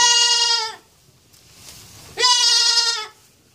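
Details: ['A goat kid gives two loud, drawn-out bleats, each close to a second long, steady and harmonic, separated by a short pause with faint background noise.']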